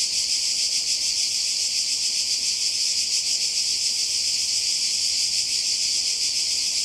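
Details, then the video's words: Cicadas calling by the sea in Croatia during a summer 2020 holiday: a dense, continuous, high-pitched buzzing hiss with a fine rapid pulse. The drone stays steady and unbroken throughout. "Kroatien Zikaden und Meer"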